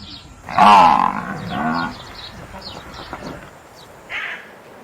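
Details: Water buffalo on a farm uttering one loud, wavering moan of about a second, trailing into softer rough grunting and ending with a brief, quieter call.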